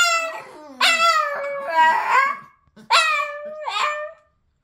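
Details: Boston Terrier howling: two loud wavering howls with stacked harmonics, each starting sharply then sliding and fading, a short silent gap between them, with softer whimpering tones underneath.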